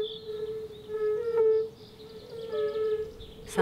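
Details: In spring, from a small forest lake in a nature reserve south of Moscow near the Oka, a chorus of male European fire-bellied toads, using their inflated bodies as resonators, gives soft, hollow, mellow hoots blending into a swelling hum, with a click at the end.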